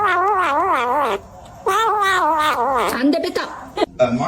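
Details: Cats fighting: two long, wavering, drawn-out yowls of about a second each, separated by a brief pause, then shorter broken cries; faint human voice present.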